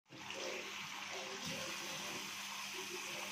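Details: Rushing water pours steadily as if from a tap or into a bath, with faint voices in the background; no animal sound is heard.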